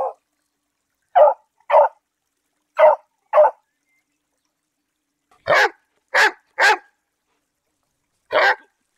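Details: Domestic dog, one of several popular breeds, barking: nine short, clean barks spaced irregularly, mostly in pairs, with a long pause before a louder, brighter run of three and one final bark, all against silence.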